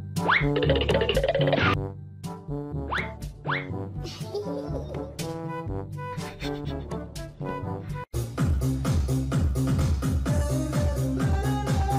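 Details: Playful children's music with cartoonish boing and sliding effects over a steady bass beat, then a fuller, busier arrangement; no animal calls are present.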